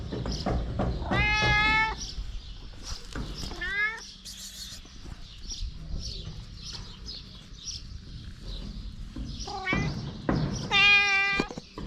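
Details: Stray mother cat with her kittens: several clear harmonic meows, one long and level, others short and rising or falling, scattered across the recording with quiet rustling and handling sounds between them.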